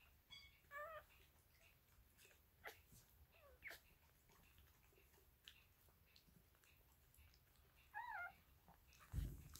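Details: One-day-old Dachshund puppies lying with their mother Stella give two short bursts of high, wavering squeaks, one near the start and one near the end, separated by quiet rustling indoors.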